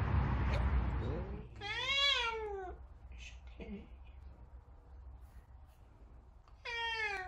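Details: Big Savannah cats reacting to kittens give two long, harmonic-rich meows that rise then fall, one early and one at the end, after a short burst of rustling noise, with quiet indoor background between calls.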